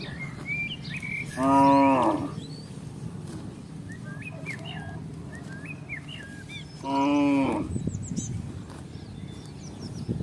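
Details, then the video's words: Village cattle from a herd crossing a housing estate in search of grass and water; two loud, drawn-out moos about five seconds apart, with chirping birds and faint outdoor noise around them. "suara sapi - cow"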